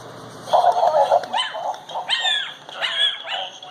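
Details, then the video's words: Ten-week-old Chihuahua puppy barking at a dancing Christmas toy dog; a low droning toy tune at first, then high, thin yips in quick bursts, about one each half second. "Chihuahua Barking"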